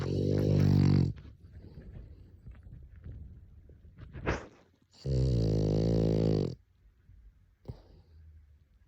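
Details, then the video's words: French Bulldog asleep, snoring: two long, deep, rasping snores about four seconds apart, each roughly one to one and a half seconds, with soft breathing and small clicks between them. "#フレンチブルドッグ #frenchbulldog #愛犬 #いびき #おやすみなさい"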